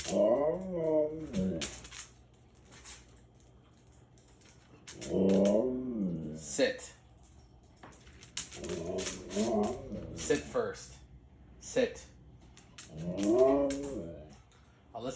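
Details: Indoor pet dog from a household with a husky and a shiba inu, persistently asking for treats: four bursts of wavering, yodel-like whining howls rising and falling in pitch, separated by pauses, with people talking between them.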